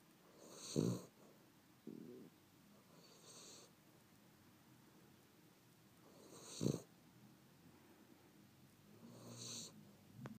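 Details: Sleeping dog snoring softly; quiet low breaths recur every few seconds, some with a brief louder snort, in a quiet room.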